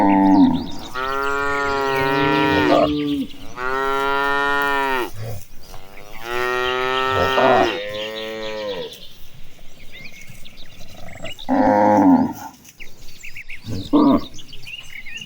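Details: A herd of tame cattle marching toward the pasture lows in long, drawn-out moos, with several overlapping voices from the moving herd; cow.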